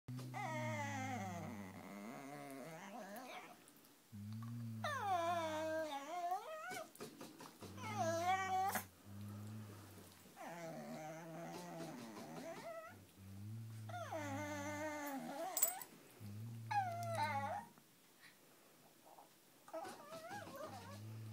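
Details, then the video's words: Small Peka-Pom dogs of about five pounds, indoors, annoyed by another dog: low rumbling growls in short bursts alternate with high, wavering whines that rise and fall, the two sounds trading back and forth throughout. "Peka-Poms growling"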